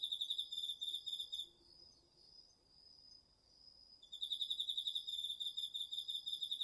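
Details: Crickets among autumn insects singing at night in a garden field, DR-40X recording: bright, rapidly pulsed high chirping breaks off for over two seconds, leaving a faint steady whine from another insect, then the pulsed chirps restart.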